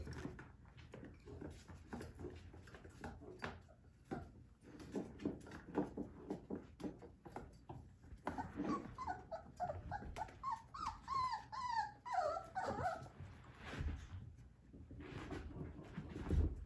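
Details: Three-week-old Whippet puppies from a Minx x Oscar litter whimper indoors: thin, wavering squeaks that rise and fall in short bursts around the middle, over steady low rustling and shuffling, with a louder thump near the end.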